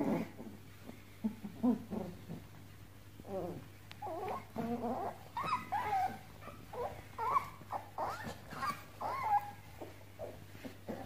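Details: Pomeranian puppies at play indoors, giving soft whimpers and small growling yips in uneven bursts, several short high squeaks in the middle stretch, with a steady low hum underneath.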